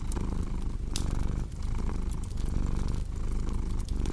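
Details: Rhythmic cat purr, a throaty low vibration rising and falling with each inhale and exhale every second or so, accompanied by crisp crackling from a nearby fire.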